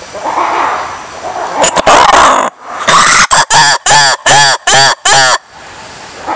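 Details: Black-and-white ruffed lemur singing: loud harsh braying calls in a rapid series of about six evenly spaced bursts, each with stacked ringing harmonics, preceded by a rougher roaring build-up and quiet background murmur.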